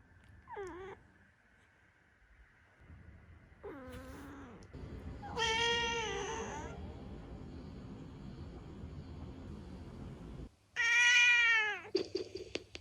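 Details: Ciel, a seven-year-old black female pet cat, meows four times: short harmonic calls, then a long wavering drawn-out meow, then a loud final meow that rises and falls, with quiet stretches of room noise between them.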